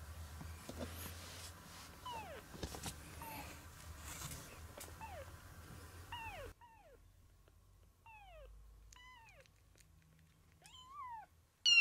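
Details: Maya, a rescued kitten about 20 days old, meeting a black cat for the first time indoors; a few thin, high, falling mews scattered among soft rustling and background hum, followed by a sudden loud noise at the end.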